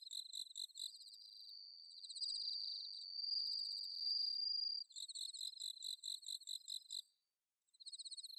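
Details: High ringing insect song from bell crickets on an autumn night, recorded at Inba-numa paddies, Chiba, Japan, on a Zoom H6: pulsed chirps around a long unbroken trill, a brief silence near the end, then chirping resumes.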